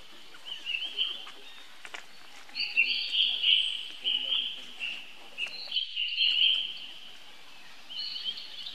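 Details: Little monkey calling for help from its older brother: a string of high, piercing, wavering screams in long bursts with brief pauses, over a murmur of background noise.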